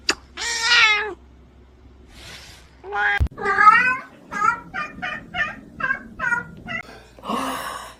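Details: Domestic cat meowing indoors: two long drawn-out meows, then a quick run of short, clipped meows about every half second, ending in one louder, harsher meow with faint background hum.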